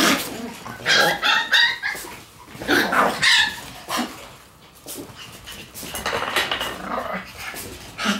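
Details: Shiba Inu puppies in their lively puppy room, where the noise goes on every day; high, bright yaps and yelps come in quick irregular bursts, several overlapping, with quieter gaps between.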